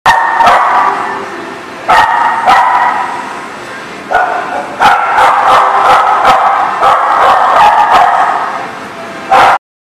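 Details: Dogs at a barking lot, dated 10/6/18, bark loudly and often. Sharp barks come in overlapping bursts, with short yips and whines between them and a few quieter pauses.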